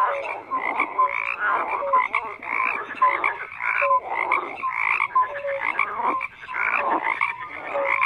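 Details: Frogs chorus in dense layers: rough ratcheting croaks, short whistled blips and rhythmic bursts repeating roughly every second, loud and continuous with no background noise.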